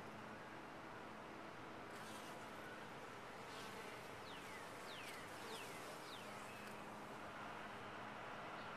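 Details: Honey bees in a top-bar hive, a continuous dense buzzing hum with faint low tonal bands, several short falling whistle-like sweeps midway through.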